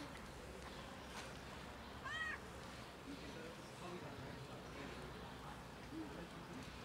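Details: Cat that followed a person and sat on a bench meowing loudly; a single short arched meow with rising then falling harmonics near the middle, surrounded by steady outdoor hiss and faint background murmur.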